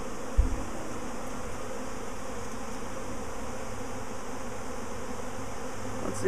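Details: Swarming honey bees a week after an earlier swarm, the queen thought to be at the top of the cluster: a dense, steady low hum of many wings, continuous and even throughout, with a brief knock near the start.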